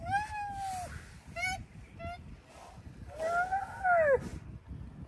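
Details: Moaning chorus of rhino calves: a long level moan, two short clipped moans, then a louder wavering moan that bends downward near the end, over soft low rumble.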